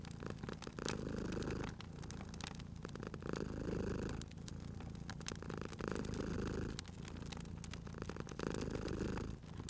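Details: Cozy purring from a sleeping cat by a fireplace: deep, even rumbling rising in slow waves roughly every two and a half seconds, with the fire's crackles and clicks scattered over it.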